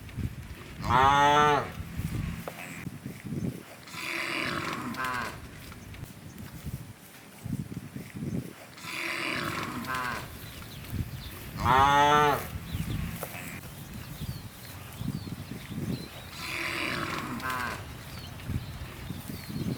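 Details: Hundreds of large, tame cows gathered in rice fields looking for food; loud, drawn-out harmonic moos, with several separate calls spread across the stretch and rumbling field noise between them.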